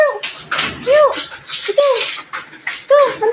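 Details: Belgian Malinois indoors giving short high whines, each a rising-then-falling arc, about three over a few seconds, with scuffling and bursts of noise between them.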